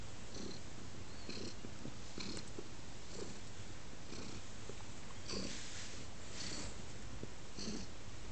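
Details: Pet cat snuggling on a person's lap, purring low and steady in soft pulses roughly once a second, with faint rustling and no other voices.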